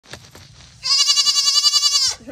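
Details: Earless LaMancha dairy goat kids jumping around on a homestead; one long, loud, quavering bleat lasts over a second after soft thumps, and a person's voice follows.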